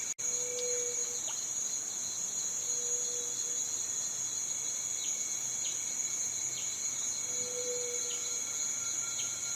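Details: Continuous piercing cicada buzz holding one high pitch throughout, joined by short faint descending chirps at intervals and a few low whistled notes.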